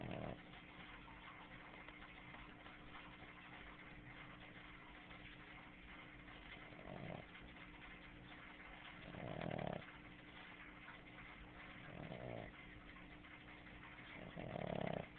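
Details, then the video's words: Boston Terrier named Snooki, a pet female dog asleep and snoring loudly, her throat moving like a frog's; rasping snore bursts roughly every two to three seconds, swelling louder toward the end, over a steady electrical hum. "Snooki the bosten terrier snoring loud"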